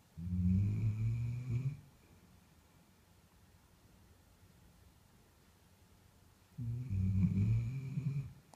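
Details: A deeply sleeping Bull Terrier snores loudly, each breath a low, rattling rumble lasting about a second and a half, with several quiet seconds before the next heavy snore.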